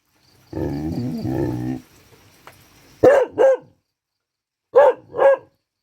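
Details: Dog practising its barking on a rainy day: a drawn-out, wavering harmonic whine comes first, then after a pause two pairs of short, sharp barks, each pair quick and punchy.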